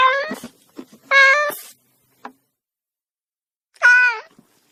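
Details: Three meows from a domestic cat, brief and bright, with short clicking noises between the first two calls.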